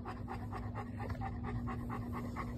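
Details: Pet dog Bo panting outdoors in Meridian, Idaho, on a fine day: rapid, even, breathy huffs several per second with a constant low hum behind.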